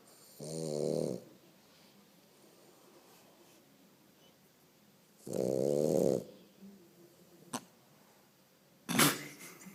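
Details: French Bulldog asleep indoors, snoring in long raspy buzzes, two full snores about five seconds apart, then a sharp click and the start of another snore.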